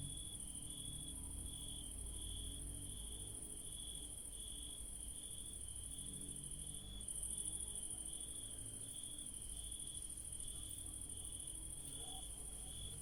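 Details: Crickets trill steadily in a night garden where yellow daisies bloom, a pulsing mid-pitched chirp over a thin, very high continuous hiss.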